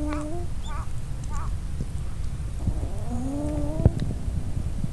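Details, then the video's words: Kitten, filmed on 8 January 2012 with a mobile phone camera, giving a series of thin high mews that rise and fall, several short ones early, then longer drawn-out cries, over a steady low background rumble. "Kitten / 子猫"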